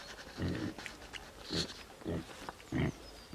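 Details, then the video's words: Sleeping wild pig making four low, rough grunts, deep and snorting, spaced about half a second to a second apart against a steady background hiss. "Sleeping Wild Pig"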